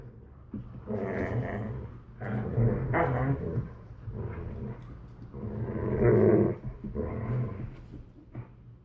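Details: A Borzoi and a Collie puppy playing tug, low rumbling growls in bursts lasting about a second, with short pauses between, mid-pitched grumbles rising and falling over low background rumble.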